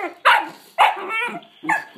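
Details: Collie puppy sisters vocalizing: three sharp yelping barks with bright harmonic whines, spaced about half a second apart, with a drawn-out whimpering tone between the second and third.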